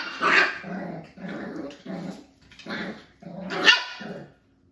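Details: Playing five-week-old Beagle x Jack Russell puppies, known as Jack-A-Bees, with cousin Ivory: rhythmic rumbling growls about every half second, topped by a few sharp, high yaps.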